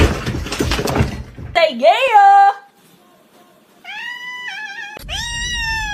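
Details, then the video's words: Kitten meowing indoors: a person speaks first, then bent, arching meows rise and fall, followed by two higher, steadier whining meows with rich overtones. "kitten meowing"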